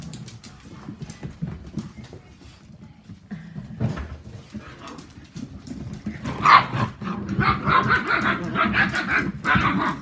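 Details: Whippet puppies from the litter of Saffi and Solo, ten weeks old: quiet shuffling and low rumble for six seconds, then a burst of high, harmonic yaps and squeals, irregular and overlapping, continuing to the end.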